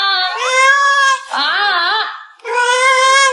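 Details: Indoor pet cat, urged to answer louder, lets out three loud drawn meows in a row, the middle one wavering and bending in pitch, the others steady and bright.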